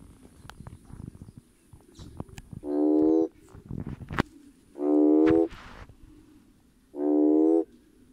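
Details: Red toad (Schismaderma carens) calling to attract potential mates: three loud, low, droning croaks, each under a second long with a rich stack of harmonics, spaced about two seconds apart, with scattered clicks and rustling between calls.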